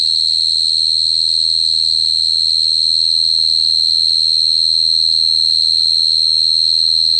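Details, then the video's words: Steady cricket chirring, a piercing high whine held at constant pitch and loudness throughout, faintly shadowed by a thinner overtone, with quiet low rumble beneath. "Cricket sound effect(cricket sound)"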